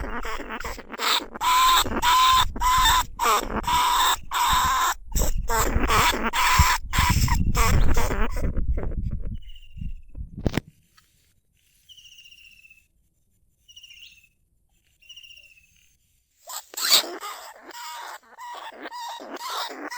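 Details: Lesser bandicoot rat calling from a cage trap in rice fields at Na Lao, Nong Khu Phai; long runs of rapid grating squeals, then several seconds of near silence with faint high chirps before the squealing resumes.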